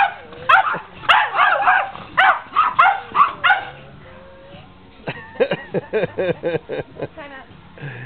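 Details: Rough play between whippet Nikita and the dogs Sally and Beyonce, summer 2009, Dearborn, Michigan: dense, harsh bursts of barking, a brief lull, then a rapid series of sharp, evenly spaced yips.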